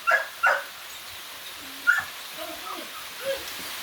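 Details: Athletic Belgian Malinois from the Philippines barking twice in quick succession, then once more after a gap, followed by soft, wavering whimpers over steady background hiss.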